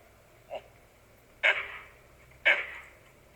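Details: A large troop of gray langurs on rocks in Jawai gives harsh, explosive alert barks about a second apart, repeatedly, signalling a predator nearby, likely a leopard, heard from a hilltop during a safari.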